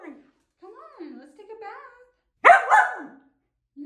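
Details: Samoyed dog barking in protest at bath time indoors: a woman talks to it first, then one loud, harsh bark rises into a strained, two-part yowl lasting under a second, followed by quiet and the start of more talking.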